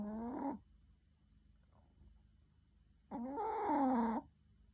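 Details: Sleeping Maltese dog, tired from many walks, snores loudly: a wheezy, harmonic snore ends the first half second, then after about two and a half seconds of near silence comes a longer rasping snore of roughly one second with a wavering pitch.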